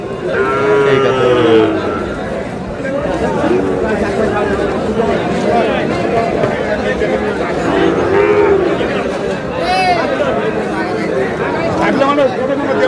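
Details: Sahiwal bull calves at a busy cattle market in Thakurgaon, Bangladesh, on 14 March: several short, mid-pitched harmonic moos, rising then falling, near the start and again around eight and ten seconds, over constant crowd chatter and men talking.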